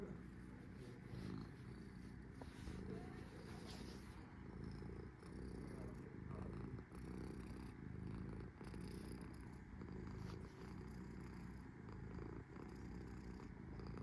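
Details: Resting cat named Sora keeps up a soft, deep purr, an unbroken low throbbing that swells and dips slightly in loudness throughout, with faint higher hiss and small ticks.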